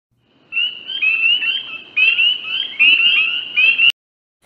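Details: Spring peepers, small frogs of Western North Carolina heard in the countryside near creeks and the first frogs of the season. Several callers give bright, high, upslurred peeps in quick, overlapping series.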